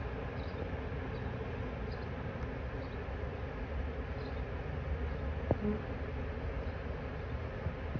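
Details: Honey bee swarm caught from a tree branch, with two queens, marching into a box. A low, steady droning hum runs throughout, with a few faint higher ticks and one sharp click.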